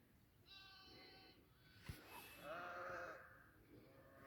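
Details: Goat on a goat farm giving two drawn-out, harmonic bleats, the first steady and nasal, the second slightly wavering and lower, separated by a short sharp knock, with quiet background hiss.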